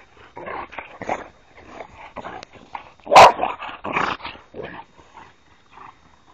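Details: Boxers, three dogs playing roughly together: continuous low grumbling growls and huffs, with one louder bark in the middle and busy scuffling throughout.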